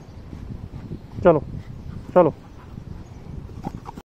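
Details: A golden retriever, play-fighting with other dogs and puppies, gives two short, harmonic yelping barks about a second apart over a noisy background.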